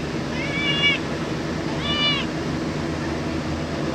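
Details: Cat meowing twice, filmed in the fourth week of July 2023: two high, arching meows about a second apart, the first longer and drawn out, the second shorter, over steady background hiss.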